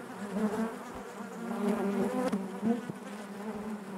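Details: Continuous low-pitched hum of honey bees within the hive, rich in harmonics, fairly even in loudness with a small swell in the middle and a few soft taps.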